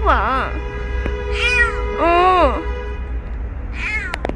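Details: Stray kitten called Ppeuti mewing repeatedly during a rescue: a short arched meow, then two longer bent cries, and a faint final mew, over a steady low hum and faint tonal background.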